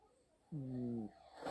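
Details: Two Siamese cat siblings snoring as a duet; one low, steady, droning snore lasting about half a second, followed by a brief soft rustle.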